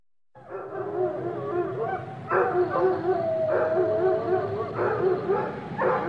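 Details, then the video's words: Chorus of kennel dogs in a bustling shelter, several animals together: overlapping harmonic barks bursting out roughly every second, layered with a drawn-out, wavering howl in the middle, continuous clamour throughout. "Canine Chorus: Kennel Dogs Barking and Howling"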